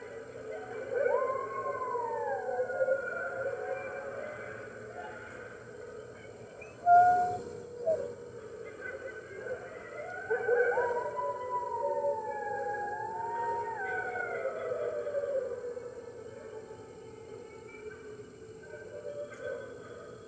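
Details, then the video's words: Morning of March 15, 2013 at the NY Wolf Conservation Center, red wolves chiming in with the other wolves, heard through a webcam: quieter wavering howls rising and falling in arcs, a sudden sharp sound midway, faint hum throughout. "Red Wolves Howling - Early Morning"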